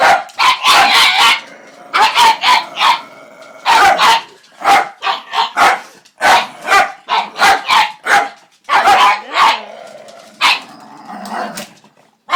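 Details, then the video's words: Weird noises from a pug: rapid runs of harsh, strained barks and yips in tight groups, a few softer whining tones slipping between, steady back-and-forth rhythm throughout. "Weird Pug Noises"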